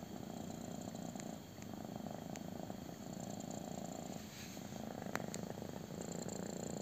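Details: Intense purring from a kitten enjoying a belly rub, a steady low vibrating rumble broken by a few brief clicks and rustles.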